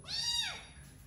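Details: Domestic cat giving a single clear meow, rising then sliding down in pitch, rich in harmonics, lasting under a second, with a faint steady high tone in the background.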